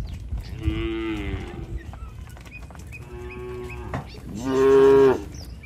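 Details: Tame village cattle calling one another on the walk back to the shed: two soft, steady moos followed by a louder, rising bellow near the end, over faint rural background.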